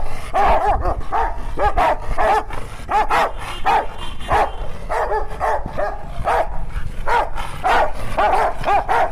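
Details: Pet Rottweilers in a noisy exchange that could be fighting or 'talking': a steady stream of short, arched grumbles and moans, roughly two each second, with brief gaps and a constant low rumble throughout.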